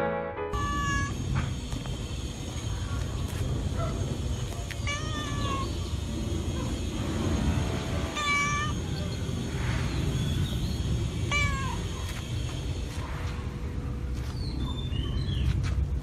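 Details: A visiting female domestic cat, described as cute and playful, indoors at home in March 2016, gives about four short rising-falling meows spaced several seconds apart over a steady low rumble and background music.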